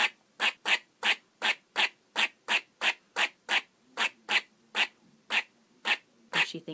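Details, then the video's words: Squirrel barking: a steady run of short, sharp chucks, about three each second, bright and clipped, with a few softer notes trailing at the end. "squirrel sound effect - sound of squirrel barking"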